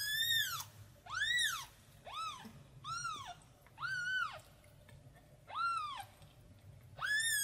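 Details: A tiny kitten cries for its mom cat, giving loud, clear meows that rise and fall in an arch, about one per second, with brief quiet gaps between them.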